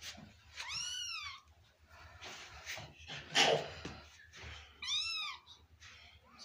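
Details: Pet kitten in a small room calls twice with bright, arched meows that rise then fall, about four seconds apart, over background rustling and a brief burst of human voice.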